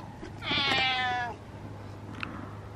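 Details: Domestic cat giving one long, loud, drawn-out meow with a strained, rising-then-falling tone and stacked harmonics, about a second long; a steady low hum runs underneath.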